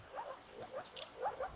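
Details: About 20 male moor frogs (Rana arvalis) call in chorus at a pond at Högby, Uppsala county, Sweden, in spring on a rainy day, soft muffled bubbling notes overlapping.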